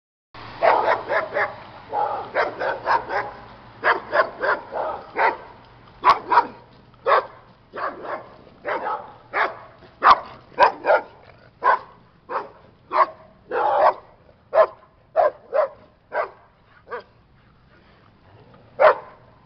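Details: A reactive dog that used to bark and lunge at people, dogs, cats and bikes on walks: a long run of sharp barks, at first rapid and clustered, then spaced out about every half second to a second, fading to a last single bark.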